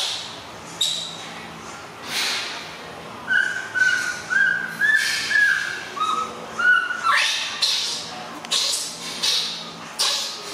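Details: Baby monkey Alan crying because he wants to sleep while his mother is busy and away; a series of high squeaky whistled cries, some drawn out and falling, repeated roughly twice a second, indoors.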